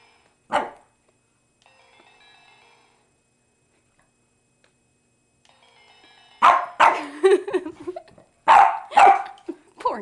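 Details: A female Boston Terrier, angry at a Sailor Moon crescent wand pointed at her, gives one sharp bark and then a rapid run of loud, rough barks.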